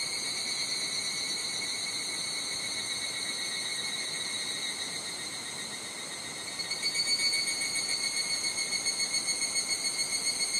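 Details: Higurashi cicada in a Japanese summer at Nishigo Village, Fukushima Prefecture, with slight wind noise. A steady, high ringing insect chorus gives way after about seven seconds to a louder, rapidly pulsed, repeated call that carries to the end.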